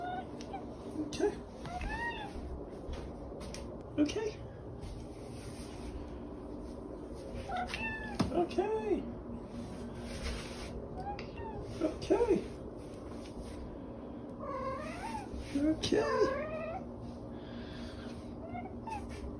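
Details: Dakota, a talking pet cat known for saying "okay", makes repeated short meows with sharply bending pitch, spread over the stretch among ongoing human talk indoors.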